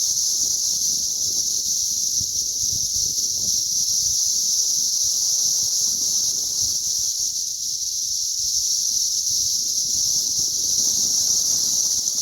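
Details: Cicadas in a mass hatch on May 20th 2034, massed outdoors; a dense, unbroken shrill drone holds steady at a high pitch for the whole stretch, with a fainter higher band above and soft low rustling beneath.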